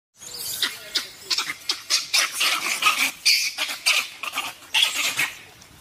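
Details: Gray langurs, about 100 in a local forest, give harsh, noisy screeches in rapid bursts during a big fight.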